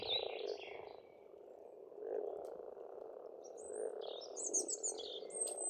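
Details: A springtime frog chorus at a pond on an Estonian farmstead: a dense continuous purring mass of croaks swelling and fading, with thin high bird chirps and whistles above.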